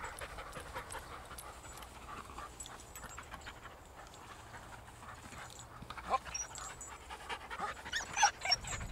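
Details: Steady panting on a group dog walk where Ramsey, a Patterdale/Lakeland cross on his first outing, meets regular companions; soft fast breaths near three or four per second, swelling into louder, sharper huffs toward the end.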